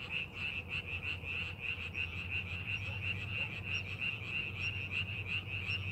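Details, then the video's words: Rice-paddy frogs during farming preparation, many voices overlapping in quick rhythmic croaks near three a second, a ringing high band throughout, faint scattered chirps above and a low background hum. "농사준비하는 논에서 개구리 울음소리"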